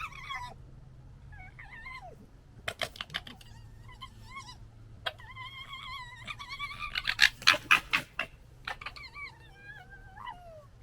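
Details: Red foxes of the 2021 litter fighting and gekkering: wavering, harmonic whining calls broken up by bursts of rapid, clattering chatter that peaks near the middle, then trailing whines toward the end.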